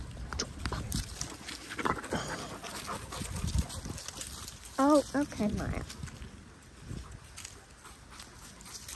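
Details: Australian cattle dog puppy Linc at play with the big puppies in a paddock, giving a quick pair of sharp yelping barks near the middle, amid scuffling, panting and background voices.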